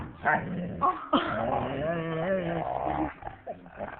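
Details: Male husky playing with a female boxer indoors, pestering her as she tries to sleep on a lap; throaty, wavering growls and moaning vocalisations with rising and falling pitch, several short bursts, with brief human voices and background music.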